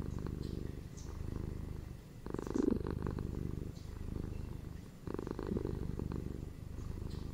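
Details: Close, rumbling purr of pet cats indoors, a ginger male and a female; the vibration runs unbroken with louder bursts at each exhalation and soft pauses near two and five seconds.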